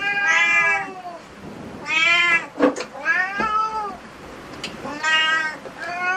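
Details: Cat cafe cats meowing: four arched, rising-then-falling meows about a second long, spaced a few seconds apart, with a brief sharp knock in the middle.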